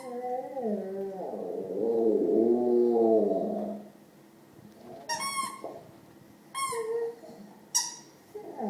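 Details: Pet Rottweiler, a male, making weird noises at his owner's feet indoors: a wavering, moaning whine for about four seconds, then a few short, sharp squeaky yelps.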